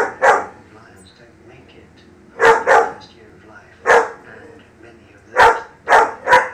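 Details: A German Shepherd puppy barking at lions gives sharp, high barks, often in quick pairs, with faint talking behind.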